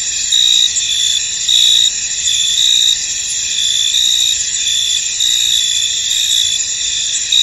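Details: In a fog-covered field, crickets keep up a dense, high, ringing chorus. Louder trilled bursts come at irregular intervals of roughly a second.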